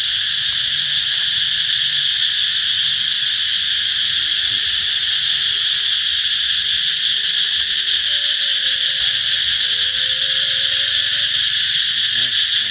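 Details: Loud cicada song, said to announce summer's approach, forms a steady, shimmering high buzz with no pauses. Faint thin tonal notes drift quietly underneath in the second half.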